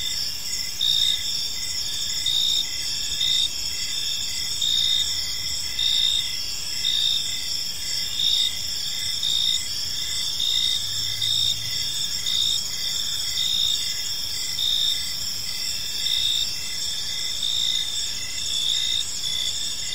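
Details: In a peaceful park at evening, crickets keep up a dense, high buzzing chorus, with a louder chirp pulsing roughly every two seconds, over a soft low hum.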